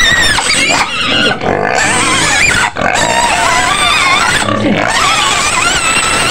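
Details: Shrill screams from a white pig in its pen near Medan, Indonesia, loud harsh squeals rising and falling in pitch, coming in long bursts with brief gaps.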